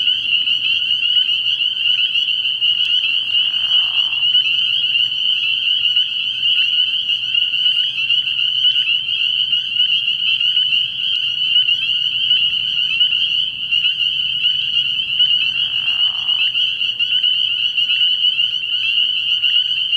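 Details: A frog pond at night early in the year, packed with spring peepers: relentless high-pitched peeping blends into a constant shrill drone, and two short lower, rougher calls break in near four and sixteen seconds.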